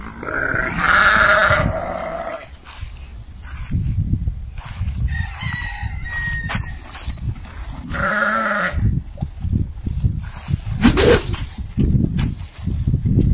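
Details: Meatmaster sheep, a breed of African origin, kept as a flock: two loud, wavering bleats, the first lasting about two seconds at the start, the second near eight seconds, over rustling farmyard noise and a sharp knock near eleven seconds.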